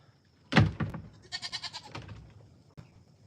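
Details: Goat in a pen during a live stream, heard while a person hangs out with the goats. A sharp onset followed by a wavering, pulsed bleat lasting under a second, with handling noises and a quiet background.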